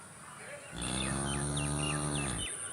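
A cow gives a single long, low moo of nearly two seconds, steady and droning, over a faint high hiss.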